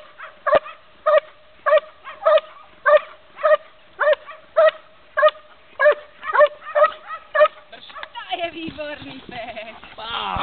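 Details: An 11-month-old Belgian Malinois in IPO defence (revir) training, 2 July 2008, gives regularly spaced sharp barks for about eight seconds, after which a jumble of other sounds takes over.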